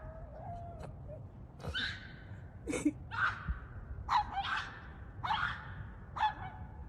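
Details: A female dog reacts to the neighbour's dogs with screams rather than barks: about eight short, strained, high shrieking yelps, roughly one a second, some rising then falling. A low background rumble runs throughout.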